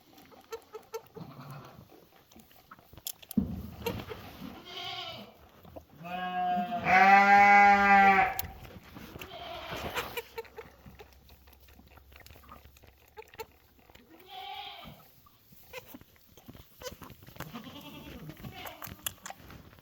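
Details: A bottle-fed baby goat (Capra hircus) makes happy sounds while wagging its tail: a loud, wavering bleat between softer nasal calls and snuffling.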